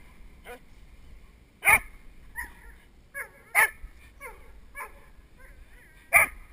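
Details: Nine-month-old Doberman puppy named River during protection work training, heard from the helper's side of the sleeve with a GoPro Hero2 headstrap camera; sharp barks and yelps come in irregular bursts, about five across the stretch, with quieter whines between.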